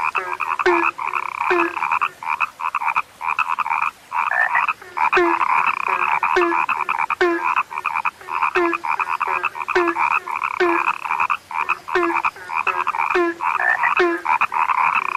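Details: A chorus of frogs, said to be now rare, keeps up a steady stream of harsh rattling croaks and trills, with low hollow notes recurring roughly twice a second and occasional loud clicks over the din.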